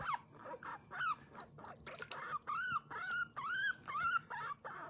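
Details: Pet guinea pig Kurumi squeaking 'puipui' while being washed at bath time, recorded indoors without background music: a run of arched, whistle-like squeaks that rise and fall, roughly two per second, with soft splashing and handling noises.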